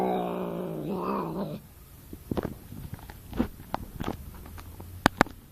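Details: A cat lets out one loud, harmonic, wavering yowl that dips and rises over a second and a half, then falls silent while soft rustles and sharp clicks follow.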